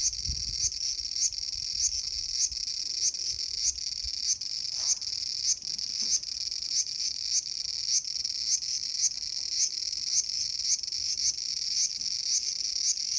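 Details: Cicada calling in a small garden on August 5, 2020: a steady, high-pitched shrill drone pulsing in regular beats about twice a second, continuous throughout with no other clear sounds.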